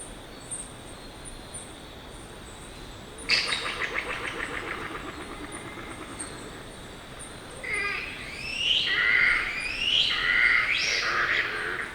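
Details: Yellow-bellied glider (Petaurus australis) recorded on location in Australia: a pulsed, gurgling rattle lasting about two seconds, then a pause before strange rising and falling shrieks that swell louder over several seconds, with steady insect hiss behind.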